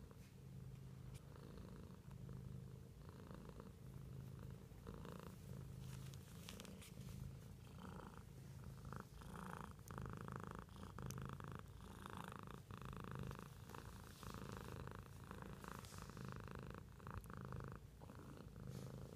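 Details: Continuous deep purr from a house cat, rhythmic breathing pulses throughout, overlaid with light rustling and scattered clicks.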